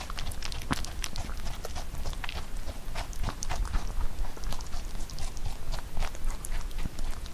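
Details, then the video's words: Rabbit kept as a pet munching Korean melon up close; continuous quick snapping chews in uneven bursts over a dull low background hum. "Rabbit eating sound with Korean Melon"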